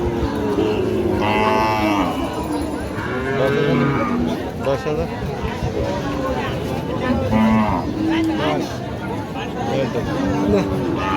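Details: Lowing of Sahiwal cattle at a busy livestock market: several drawn-out, harmonic moos repeated over about ten seconds, with men talking and haggling throughout.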